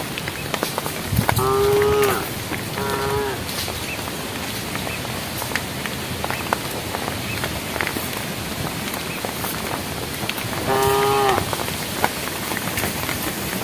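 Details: A herd of cattle eating together on a project road as night approaches give short, tonal, slightly nasal moos, calling the herd, two close together and a third later, over steady pattering rain.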